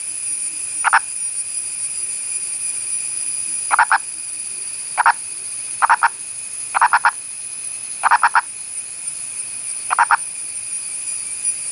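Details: Endangered Indian purple frog (Nasikabatrachus sahyadrensis) of India's Western Ghats calling: short clucking pulses, single or in quick pairs and triplets, repeated every one to two seconds over a steady high-pitched whine.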